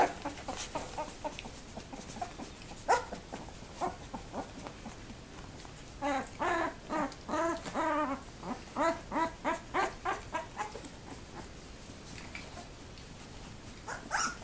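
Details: Labrador Retriever puppies two weeks old, lively in the whelping box, 7 December 2011: scattered squeaks, then a run of loud, wavering whining yelps repeated roughly every half second, fading back to soft squeals.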